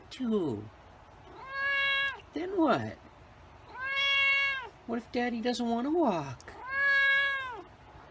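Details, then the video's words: A white cat repeats long, flat, bright meows roughly every two and a half seconds, with short broken, descending mews squeezed between them. "White Cat Meowing"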